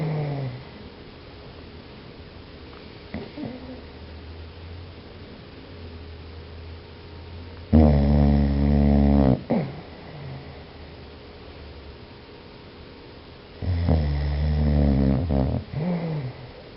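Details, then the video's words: Biscuit, a sleeping dog, gives soft low breathing sounds, then two loud rattling snores a few seconds apart, each around one and a half seconds long with a buzzy harmonic drone. "Buscuit snoring"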